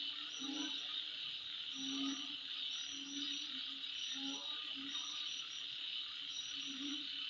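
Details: At midnight, insects produce a continuous shrill buzzing drone; low, short hoot-like calls recur roughly every second beneath it, plus faint intermittent high ticks.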